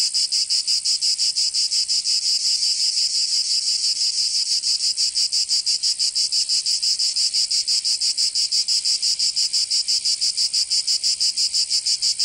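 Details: Cicadas in a southern French summer, Provence: piercing continuous buzzing chorus pulsing rapidly and evenly, roughly three beats per second, steady and loud with no birds or people.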